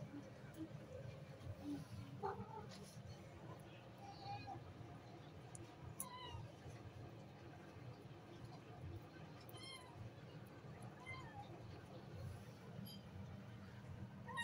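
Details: Mother cat and her kittens while eating: several faint, thin, high mews rising in pitch, scattered across the recording over a steady low background hum.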